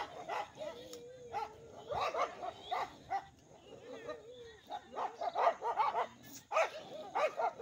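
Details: Village dogs clashing in a fight between two rival groups, giving clusters of short, harsh barks in quick irregular volleys, with some drawn-out whining notes and a human voice in between.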